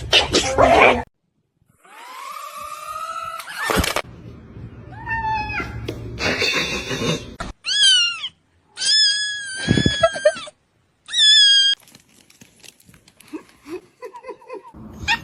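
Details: Cat with high, bright meows repeated in short bursts, some clipped and rising, several in quick succession, with brief human speech and rustling between calls.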